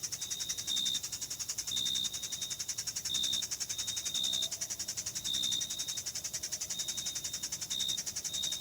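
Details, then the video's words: Crickets in a meadow in June: a dense, shimmering high insect chorus with short, bright chirp bursts repeating roughly once a second over steady background hiss. "Sounds of Summer: Sleep and Relaxation Nature Sounds, Crickets, and Insects - A meadow in June"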